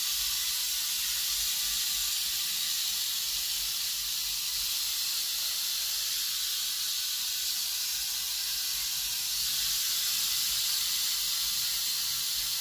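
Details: Rattlesnake from a private collection, called the biggest viper of the United States, giving a long unbroken sibilant buzz, bright and hissy, holding an even loudness for over twelve seconds with no pauses.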